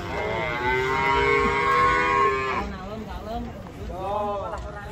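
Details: Large cattle unloaded from a truck in the rain; a long steady moo lasts over two seconds, followed by shorter wavering lowing calls, with people's voices and background music faintly present.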